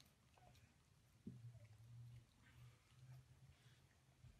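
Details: Siberian Husky "talking" at home: a low, droning grumble starting abruptly and holding steady for about three seconds with slight wavering pitch, faint and close, with soft background noise.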